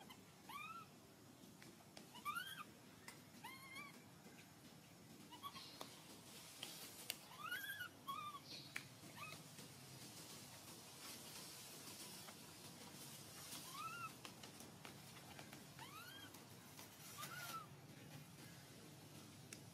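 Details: Hungry baby monkey crying to ask for milk: soft, faint arched whimpers rising then falling, given in short pairs every second or two, over a steady background hiss with occasional clicks.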